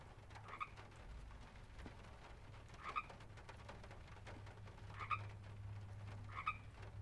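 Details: Frogs at a pond in a field recording. Short, bright croaking calls with two stacked tones sound four times in seven seconds, about every one and a half to two seconds, over a steady low hum and scattered clicks.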